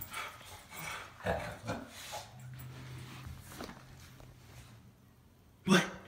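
Miniature schnauzers give short, sharp, excited barks of greeting as their owner arrives home.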